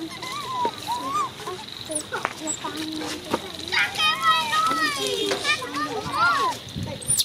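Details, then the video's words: Baby monkey Coco screaming: shrill, harmonic squeals that rise and fall in a burst midway, among scattered short chirpy calls, with people talking in Vietnamese nearby. "Baby Coco is good at screaming"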